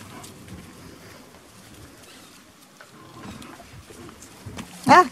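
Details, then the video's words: Five-week-old Beauceron puppies at feeding time at a breeder's, recorded 22 November 2018; soft shuffling and low background noise, then one sharp, loud, high yelp with stacked harmonics right at the end. "chiots beaucerons 5 semaines"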